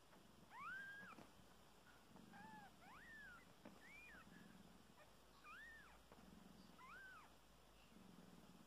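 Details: Newborn kittens, nine hours old, on their first day with their mother cat, nursing for the first time. Thin, high-pitched rising-and-falling mews repeat about once per second, over a faint low rhythmic purr-like rumble.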